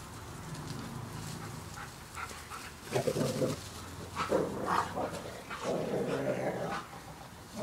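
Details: Two dogs, Charlie and Loki, at play in summertime: rough growling and short grunting bursts come in clusters over a steady low hum, with scuffling between outbursts.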